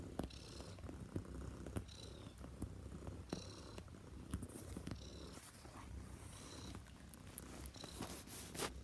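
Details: Purring Neva Masquerade cat, a Russian-bred Siberian Blue Point she-cat, kneading bedding indoors; low droning purr pulsing with each breath, mixed with frequent crisp scratching and rustling of cloth, busier toward the end.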